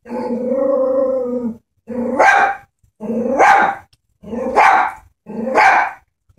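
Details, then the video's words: Small Chihuahua afraid of a stuffed toy horse holds a long droning growl, then fires four sharp barks about one per second, each starting with a growly rise. "Killer Chihuahua vs stuffed animal"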